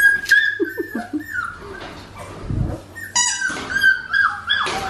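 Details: Crying Australian Shepherd puppies at Fifteen Acre Farms in Oklahoma, November 2019; long, high, steady whines slide downward and overlap, with a few short yelps and faint room noise.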